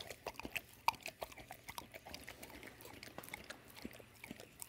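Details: Dawg, a female American Staffordshire and American Bulldog mix, eating her favorite peanut butter as an evening snack. Quiet, irregular wet lip-smacks and tongue clicks come in quick bursts throughout, with faint room hum beneath.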